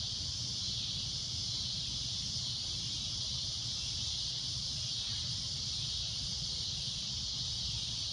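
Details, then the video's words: Shrill cicada droning noise at sunset, a constant high-pitched buzzing hiss sustained throughout, low background rumble beneath. "Cicada A Loud Shrill Droning Noise"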